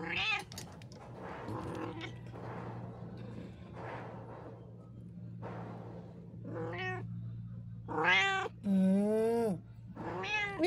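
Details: House cat meowing insistently, several loud, bending meows in quick succession in the last few seconds, after a stretch of a person talking gently over a low electrical hum.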